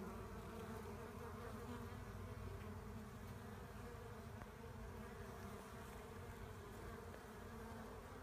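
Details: Low, droning hum of a honey bee swarm during collection: countless wingbeats blending into one steady buzz that fades slightly toward the end.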